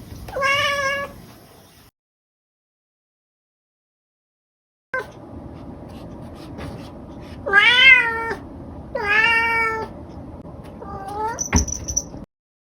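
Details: Kotetsu, a house cat, gives one clear meow, then after a pause a run of four meows, rising-then-falling and bright, spaced roughly a second apart, the last one short and higher.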